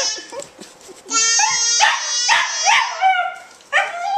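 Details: A Welsh Terrier howls in drawn-out, wavering notes that rise and fall, "singing" along whenever a baby sings or yells, with the baby's voice alongside.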